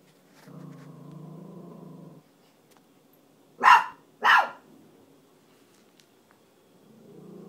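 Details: A frightened Chihuahua reacting to a furry hat it is afraid of, trying to scare it off: a low rumbling growl, then two sharp loud barks about half a second apart, and the growl starting again at the end.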